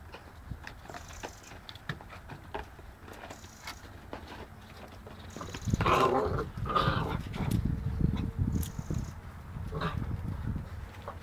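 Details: Seven-week-old Boerboel puppies playing with a cat. Soft scuffling and thumps give way midway to a louder burst of rough, growly puppy vocalising that lasts a few seconds, then mixed rumbling play noise and knocks.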